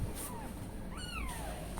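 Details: Newborn kittens calling while the mother cat is away; one clear high mew sweeping up then gliding down with stacked harmonics, preceded by a fainter thin mew, over steady low background hum.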